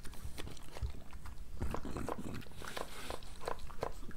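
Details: Moolah, a pregnant French Bulldog, at breakfast: soft scattered chewing clicks and low thumps, with sharper crunches toward the end, in a quiet indoor room.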